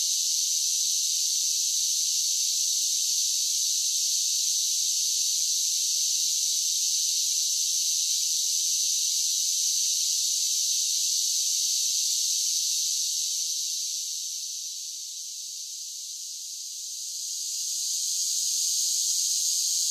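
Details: A continuous, high, hissing drone of summer cicadas holds steady for most of the stretch. It fades briefly toward the end before rising again, with no other noises present.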